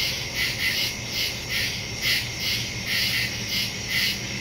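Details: A chorus of crickets chirping in woods after dark, September 2, 2023, recorded on a Samsung Galaxy S22 Ultra with a Shure MV88+ stereo microphone. Rapid, evenly spaced high trills pulse continuously over faint low noise.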